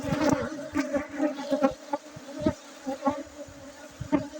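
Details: Honey bees from Aceh, Indonesia, buzzing close by in a dense, droning hum that pulses louder and softer roughly twice a second, broken by short thuds and taps.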